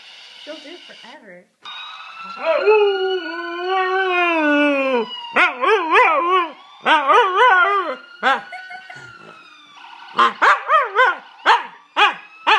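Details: Pet dog howling along with a faint siren-like background tone: a long arched howl, then a run of short choppy yodelling yelps with wavering pitch, repeated in quick bursts toward the end.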